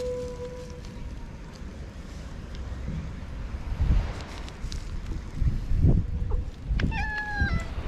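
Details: Stray cats in a Japanese park after a typhoon, Pink and Orange among them; a short steady tone at the start, then a rising-then-falling meow near the end, with thumps, footsteps and low rumbling noise between.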